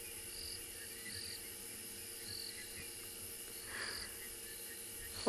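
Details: Crickets give short, high chirps about every second and a quarter over a steady insect hum of the wet season on an afternoon safari in a South African game reserve, 5 October 2020, with owls and nightjars also calling. A soft thump sounds at the end.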